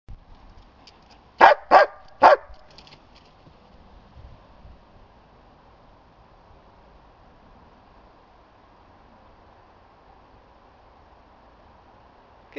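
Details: Ten-year-old female German Shepherd at play with a ball and reluctant to give it back, letting out three sharp barks in quick succession about half a second apart, then a long stretch of quiet hum before a faint final sound.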